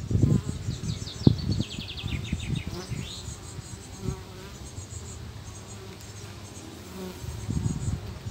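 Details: Calm guard honey bees grouped near fanning bees at a hive entrance, 14 July 2023 at 10:49, 19°C, partly sunny, light south wind. Deep continuous buzzing with louder bursts, plus brief high chirping sounds during the first three seconds.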